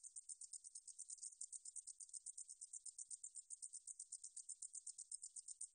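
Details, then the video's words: A meadow katydid, recorded in 2020 by the National Institute of Biological Resources, produces a sizzling, very high pulsed song, around thirty-five evenly spaced buzzy pulses in under six seconds. "등줄어리쌕쌔기, 여러번 듣기, 곤충소리"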